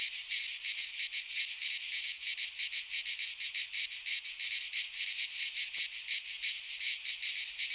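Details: Cicadas singing in midsummer in a Greek pine forest: a dense, buzzy high-pitched chorus pulsing rapidly, about three beats per second, steady and loud throughout with no other sounds.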